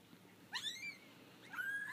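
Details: Four-week-old kittens from a litter of five, just out of their basket for the first time; two short high meows, the first bending down then level, the second a long flat cry, over low background hum.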